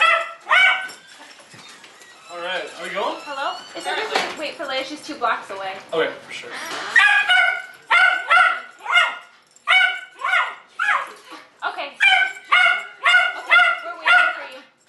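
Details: Jay, a Jack Russell Terrier described as an annoying dog with dependency issues, gives high, whiny yelping barks in uneven bursts, roughly two per second, with some faint mixed noise between calls.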